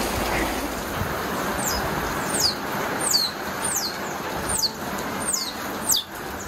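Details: A baby otter, panicking in its first heavy rainstorm, cries with thin, high, falling squeaks about one every second over a steady hiss of heavy rain.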